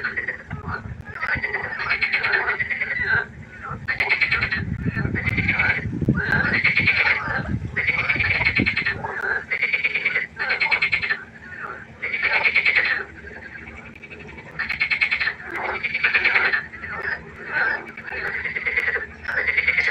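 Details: Frogs calling at night by a pond: loud, rhythmic, rattling croaks repeated in quick bursts over several callers, with a low rumbling noise in the first half.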